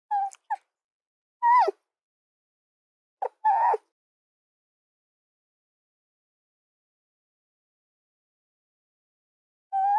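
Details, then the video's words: Fox giving short, clipped yelps with a bright harmonic tone, a quick pair then two more after a pause, followed by long silence before one last yelp at the end. "Fox Soundscapes"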